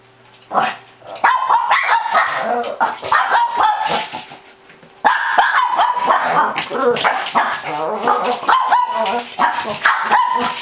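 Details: Shih Tzu barking nonstop, quick high yips and bow-wows tumbling together with whining overtones, growing steadily louder and more insistent after a brief opening bark.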